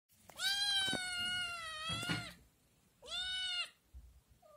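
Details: Scottish Fold kitten meowing loudly to ask for food after seeing yogurt, indoors at home: a long, steady, harmonic-rich cry of about two seconds, then a shorter rising-and-falling meow, with a faint brief sound at the end.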